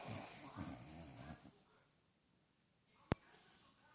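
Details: An English bulldog snores with one long, rattling breath, deep and raspy, then falls quiet.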